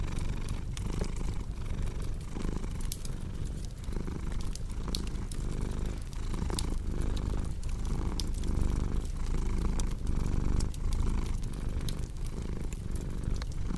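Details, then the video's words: Continuous rumbling purr of a cat, pulsing gently with each inhale and exhale, layered with frequent crackling and popping from a fireplace throughout the long stretch. "Purring Cat with Cozy Crackling Fireplace Sound"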